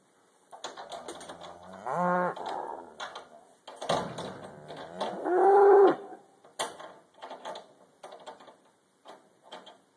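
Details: Black Angus cattle loading onto a trailer for a four-mile road haul; moos at two and six seconds, the second loud and drawn out, amid rattling metal gates, hoof clatter and banging.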